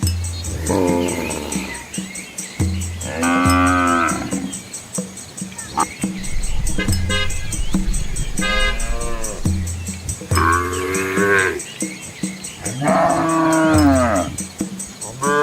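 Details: Dozens of Asian village cows with calves following their mothers walk along a quiet rural road among green rice fields, giving long, deep moos that rise and fall, several calls overlapping.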